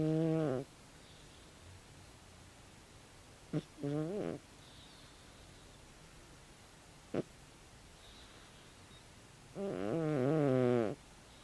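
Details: Big snores from Tabi, a 16-year-old calico cat fast asleep. Buzzy, wavering drones rich in overtones arrive in short bursts several seconds apart, the last one longest and warbling, with brief clicks and a quiet room between.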